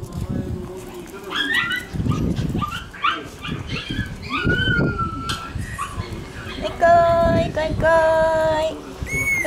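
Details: Shiba Inu puppies, born on June 5 and June 9, on a first short outing outside. High, thin whining whimpers come out clearly near the end, over steady human talk throughout.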